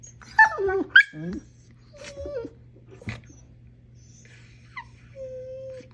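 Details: A female Siberian Husky at play with a dachshund gives quick high yips sliding downward into whining, then quieter whines and one thin, steady, sustained whine near the end.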